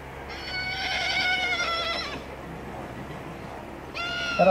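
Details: A colt foal by Livello out of a Carlos DZ Acorado mare gives a long whinny of about two seconds with stacked wavering harmonics, followed by a short second whinny near the end; faint background murmur.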